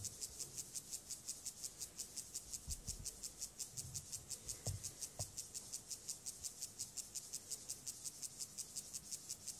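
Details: Courting male Gomphocerus sibiricus stridulating to a female ahead of copulation: an even train of sharp, hissing high-pitched chirps, roughly two per second, steady throughout, with brief soft thumps near the middle.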